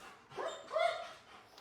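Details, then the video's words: Dog whining, a restless dog never taught to relax: a single short high tonal whine, rising then falling, with a brief softer whimper just before it. "how to STOP your dog from WHINING"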